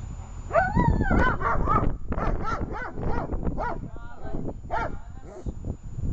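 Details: German Shepherd in protection training barking rapidly and excitedly, dense overlapping barks with a whining rising note at the start, heavy low-frequency background rumble.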